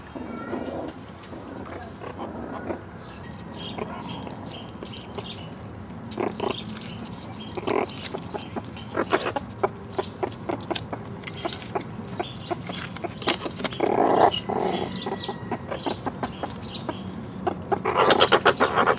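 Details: Young meerkats, just one year old, searching an overgrown enclosure for bugs and hidden mealworm treats; soft grunting vocalizations and quick clicky rustles that build toward the end into louder, dense bursts.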